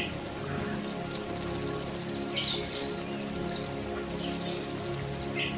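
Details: Golden grasshopper calling, used to tutor sogon songbirds: after a brief click, three long, very high, grating trills follow almost back to back.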